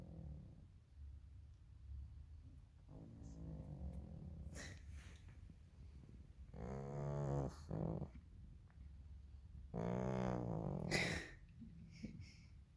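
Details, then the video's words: Elderly pug complaining after being woken too early from a long sleep, indoors; low groaning, grumbling vocalizations in rough bursts, two louder harmonic moans around the middle and end, with a woman's voice nearby. "Elderly pug complaining (not snoring) - Pug anciana enojada quejándose (no roncando)"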